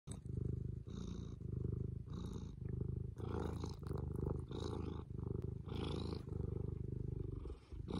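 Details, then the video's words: Fū, a cat, purring steadily: a deep rumbling drone in continuous bouts that swell and ease in a breathing rhythm, with faint brighter bands on some cycles and no other sounds. "Volume up for Fū purrs"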